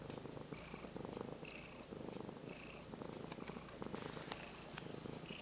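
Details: Brown-and-white kitten, formerly stray and now almost a house cat, purring steadily under a petting hand; fast throbbing buzz rising and falling with each breath, plus light scratchy rubbing sounds.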